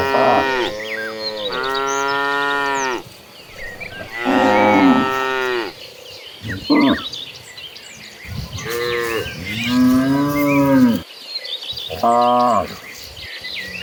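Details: Dozens of gentle cows walking toward a green pasture, giving repeated deep, drawn-out moos with rich harmonics. Several overlapping calls rise and fall with short pauses between them, and faint bird chirps sound in the background.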